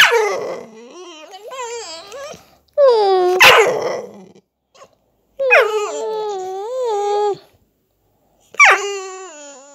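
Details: Funny vocal noises from a Staffordshire Bull Terrier: bursts of warbling, wavering yowls and whines, some with rough growly onsets, separated by short silences across about ten seconds.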